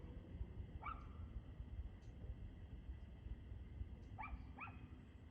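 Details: Dog barking at 6:02 pm on 2/6/2024: one sharp bark, then a pause and two quick barks near the end, all faint above a steady low rumble.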